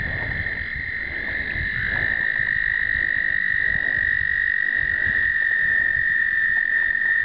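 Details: American toads in an explosive breeding chorus, filmed in 2009 on a pocket point-and-shoot camera: long, steady, high musical trills overlapping continuously, one voice stepping up in pitch near the start, with faint low rumbling underneath.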